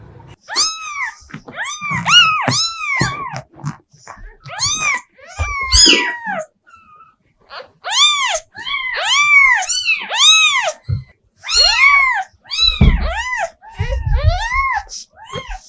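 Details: Rapid series of short, arched, high mews from a cat, clustered in bursts of three or four, some overlapping, with occasional soft thumps and handling noise between bursts.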